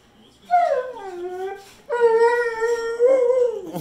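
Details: Pit Bull, a male pet dog, howling to beg for more chicken after being told none is left: two drawn-out tonal howls, the first sliding downward, the second longer and level with a wavering end, while his owner talks to him.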